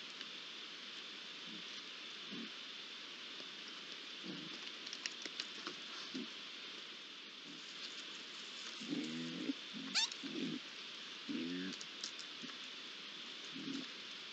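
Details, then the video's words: Three young Iberian lynxes at a pond on 8 July 2022, giving short low grumbling growls, spaced irregularly and clustering near the end, over a constant high hiss of background noise. "Tres rayones en la poza (Sonido ambiente)"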